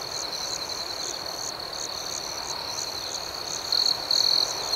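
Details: Nighttime cricket chorus, a continuous high-pitched trill overlaid by rhythmic pulsed chirps, with two short bursts where a nearer insect grows louder toward the end.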